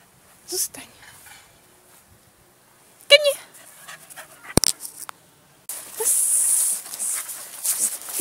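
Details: Ari, a dog described as barky, gives a few sharp short barks near the start and a harmonic-rich bark burst around the middle, followed by a loud rushing, panting-like noise in a quiet room.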